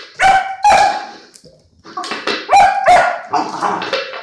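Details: Irish Setter playing with its food plate gives loud, high yelping barks with clear harmonic tones, two quick barks, a pause, then a rapid run of several more, ending in a whining drawn-out yelp.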